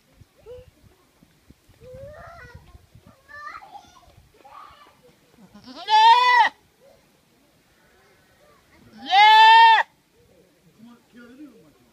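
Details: Goat crying out with startlingly loud, human-like screams: two strong strained bleats roughly three seconds apart, each about half a second, between softer short bleats and low background voices.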